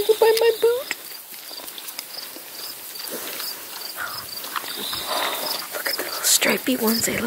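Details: Newborn piglets from a litter of sixteen, small and striped: a clear high whistled squeal rising and falling over the first second. Murmured talk, rustling and a steady insect chirping follow.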